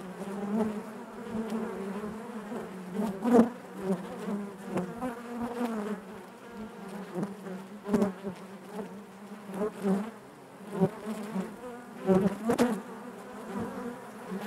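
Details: Honey bees in their hive produce a deep continuous drone, punctuated by sharp knocks and short louder buzzes roughly every few seconds as bees shift and fly past.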